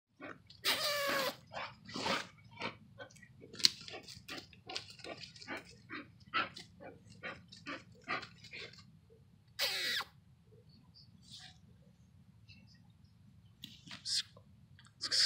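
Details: A working Bull Terrier confronting a raccoon gives loud, harsh barks between rapid bursts of snorting, huffing sounds.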